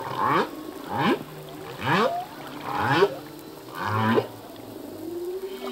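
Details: Singing male humpback whale at sea: a rapid series of five short, downward-curving grunting calls about one second apart, then a softer drawn-out rising tone, over a faint ocean hiss.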